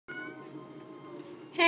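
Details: Fluffy white domestic cat begging for raw food of organs, tissue, blood and bones: one long, steady, tonal meow held for over a second, ending with a sharp noisy burst.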